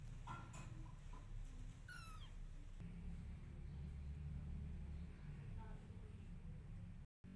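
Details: Mother cat meowing to get her kittens to follow her while they ignore her: one short, falling, harmonic meow near two seconds, a fainter call near six seconds, over steady low rumbling background noise.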